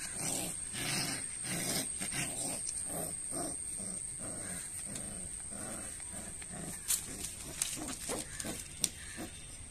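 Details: Rottweiler puppies showing aggression: rough, pulsing growls repeating roughly every second, each burst low and noisy, with faint background noise.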